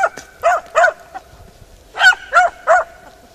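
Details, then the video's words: Beagle Harrier barking in a ploughed field: three quick sharp yelps, a short pause, then three more evenly spaced barks. "beagle harrier in arato"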